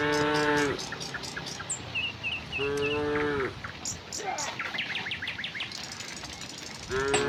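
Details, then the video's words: Tame cows heading to a broad field in gentle morning sunlight give three separate low, moaning moos, each under a second. Short bright bird chirps and an insect-like buzz fill the gaps. "the sound of cows"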